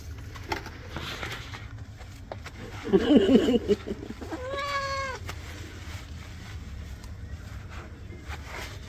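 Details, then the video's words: A domestic cat being bathed gives one drawn-out, tonal meow that holds steady and then drops at the end. A short burst of scuffling comes just before it, with low background rumble throughout. "Cat bathing"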